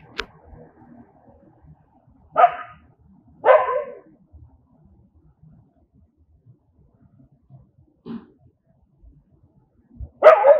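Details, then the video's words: Angry dogs give a short burst, then two loud barks a second apart, a faint muffled bark later, and a final loud bark at the close. "Angry Dogs barking sound, Angry Dogs aboie, Cachorros com raiva latindo som, कुत्ते की आवाज"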